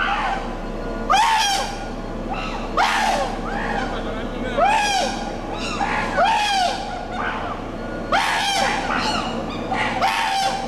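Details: Chimpanzees meeting road construction, a run of repeated harsh screams with arched harmonic shapes about every two seconds, overlapping callers, over a steady background rumble and a faint human voice.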